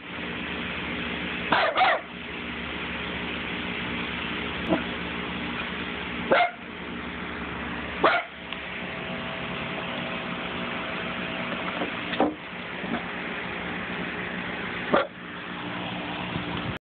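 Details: Dog barking in short isolated bursts spaced a few seconds apart, against a steady low background hum.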